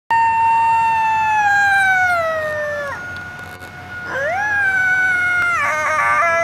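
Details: A coyote at Indian Pond in Yellowstone National Park gives long, wavering howls that slide downward, then rise again into a quavering yip.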